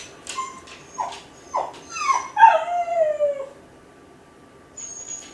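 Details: Kai Ken dog, lonely while left home alone, crying out to its family: a few short high yelps, then a single wavering howl sliding down from high to mid pitch. A faint chirp follows near the end.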